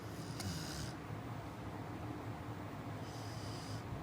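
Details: A sleeping Chow Chow puppy, Murphy, snores at night with soft, breathy, hissing breaths about three seconds apart.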